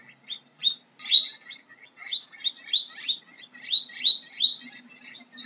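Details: High, thin squeaks from a guinea pig, brief upswept notes in irregular clusters of two or three, steady throughout with no competing noise.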